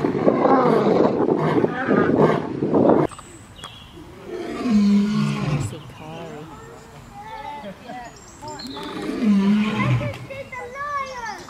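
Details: Lion in the African savanna roaring to mark territory and keep in touch with its pride; a loud rough roar opens, then lower wavering growls and grunts rise and fall, with voices possibly heard alongside.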